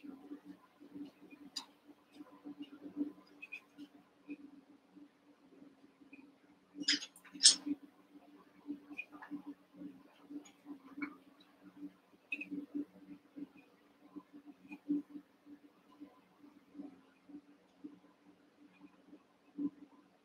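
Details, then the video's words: Eight young Cavalier King Charles Spaniel puppies wrestle and play in an indoor pen; scattered quiet scuffles, a few thin yips, and a burst of two high, sharp squeals midway, all over a constant low hum. "One Month Old Cavalier Puppies Wrestle and Play"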